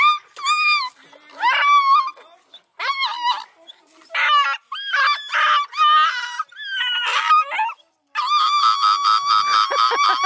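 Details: Scent hound puppies in a large, deep dog box, being moved across a farm to a new pen, loudly objecting to confinement. Wavering, rising-and-falling howls and yelps come in short bursts, then merge into a continuous overlapping chorus.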